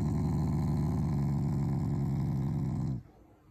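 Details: Loud, low, throaty rumble from a Shiba Inu, a much-loved family dog showing affection, not anger, to its owners; the steady vibrating growl lasts about three seconds and then stops abruptly into quiet.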